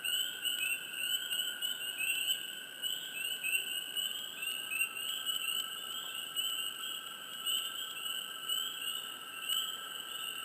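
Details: Close swamp frogs chirping: clusters of short upward-sliding chirps come and go over ten seconds above a continuous shrill, humming chorus, with no other sounds evident.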